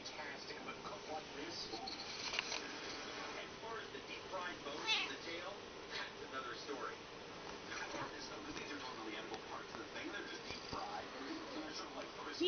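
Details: Domestic cat, a mother of kittens, meowing beside a cat carrier as if wanting to get in for a trip; several drawn-out, rising and falling meows between stretches of a person talking indoors.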